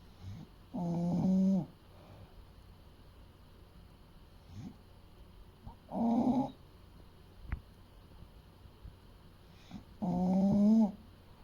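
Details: Eight-year-old male English Bulldog of about 30 kg, asleep, snoring in slow rough rasping breaths, one every four to five seconds, each lasting under a second, with quiet breathing between and a faint click.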